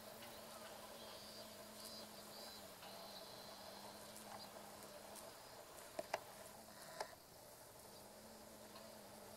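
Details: Female carpenter bees (Xylocopa appendiculata circumvolans) working meadow-rue flowers along a railway in Japan, mid-August 2013, during buzz pollination; a low, steady droning hum comes and goes under faint background hiss, with a few sharp clicks near the end.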